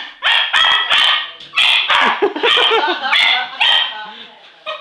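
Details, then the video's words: Pet English Cocker Spaniel, enthusiastically chasing Christmas balloons indoors during an afternoon, gives a rapid run of high, sharp yelping barks, about eight bursts in five seconds, with short pauses and a final faint yip. "Hurley (English Cocker) and Christmas Balloons"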